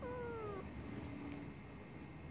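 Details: A Siamese cat, very vocal on waking from a nap, gives one drawn-out meow that slides gently downward in pitch.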